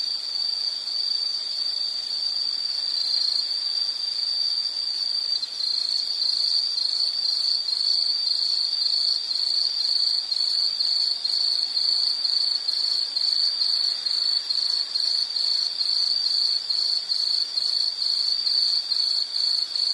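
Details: Nature sound of insects for study or sleep: a sustained high chirping band with fast rhythmic pulsing, joined by a second, higher layer of rapid ticking chirps across the whole stretch.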